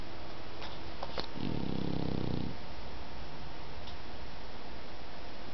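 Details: Dog snoring while asleep indoors: one low, rasping, throbbing snore of about a second, followed by quiet breathing, with a few faint clicks in the room.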